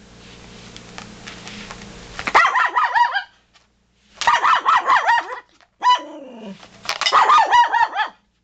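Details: Toy poodles barking at deer: after two seconds of quiet background hum, high-pitched yaps come in rapid bursts of about six, separated by short silences, with a whiny falling note between bursts.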